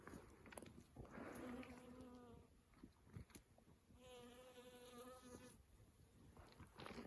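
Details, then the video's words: Honey bees foraging among lavender on an early summer morning before 7:30, during a lavender honey harvest, with many insects flying about; two faint, droning, steady-pitched buzzing passes swell and fade as insects fly close. "Et si on se tait un petit peu, je vais vous laisser un peu avec ce son des abeilles et nous on va les récolter."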